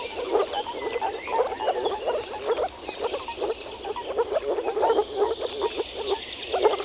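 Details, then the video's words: Chorus of European frogs from the Czech Republic, many callers croaking at once in quick low pulses that rise and fall in loudness every second or so, with some faint higher rattles behind. "European frog calls"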